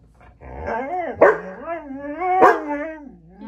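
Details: Siberian Husky vocalizing in a talkative, wavering howl-like voice, pitch sliding up and down over about three seconds, with background music.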